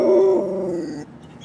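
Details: An English Springer Spaniel "sings along" to a song on a road trip, giving a drawn-out, wavering, musical howl that slides slightly in pitch before trailing off; at home she usually "says I love you".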